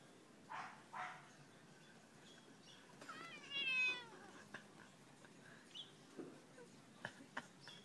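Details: Annoyed cat on a fine afternoon giving one drawn-out, wavering meow at mid-recording, preceded by two soft short sounds and followed by faint rustles and light taps.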